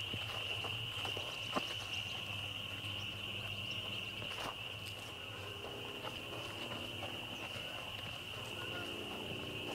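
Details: Loud chorus of spring peepers, a dense sustained high-pitched ringing of overlapping peeps, with faint low murmuring voices and a few sharp clicks underneath.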